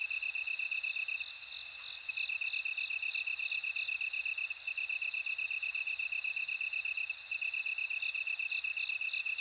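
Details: Bell crickets singing: a constant high, bead-like pulsing, with a louder sustained ringing trill layered on top for several seconds before it fades back into the steady chirps.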